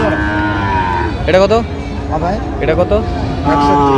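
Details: Sahiwal bull calves at a Barishal cattle market on 23 June 2025, among 32 bought by a farmer: a drawn-out harmonic moo opens, then shorter lowing calls follow over crowd chatter and market bustle.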